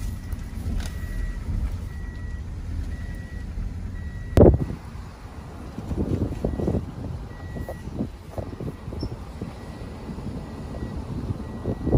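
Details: Street traffic rumbles low and steady while a reversing beeper sounds at regular intervals, broken by one sharp loud bang partway through.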